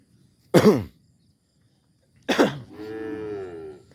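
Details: A tame calf gives two short harsh calls, the second trailing into a longer wavering low moo; background otherwise quiet.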